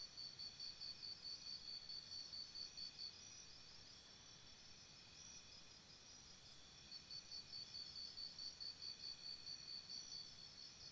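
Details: Crickets singing at night near a campsite: bursts of fast, regular high-pitched pulses for three seconds, a gap of steady shrill tone, then another four-second pulsed train. Quiet otherwise.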